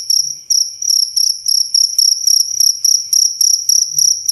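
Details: Clear cricket chirps meant as tutor sound for captive songbirds and for relaxation; high, ringing pulsed bursts coming in quick regular succession, roughly three per second, with nothing else audible.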